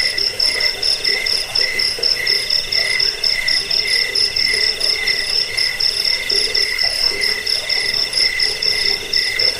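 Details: Continuous cricket chorus, used to drive off rats and to tutor cage birds; high, buzzy pulses stacked in two bright bands, beating steadily around two per second with a faint lower murmur beneath.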